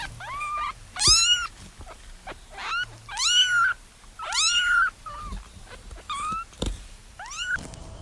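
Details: Puppies playing in a garden give high, squeaky whines and yelps that rise and fall, several in quick succession.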